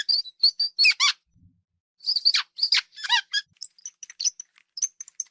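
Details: Hamster giving bursts of thin, high squeaks and chirps in quick clusters, some with a shrill harmonic ring, separated by short silent gaps, with soft scratchy ticks in between.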